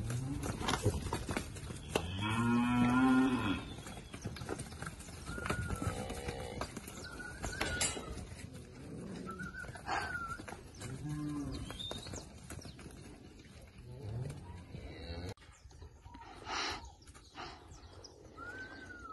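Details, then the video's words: Girolando heifers from a herd of forty, bred and kept with a young Girolando bull in Passos, Minas Gerais, Brazil. Several deep, drawn-out moos, the strongest near the start, with repeated falling whistles of birds throughout. "40 Novilhotas Girolando Entouradas, Passos MG"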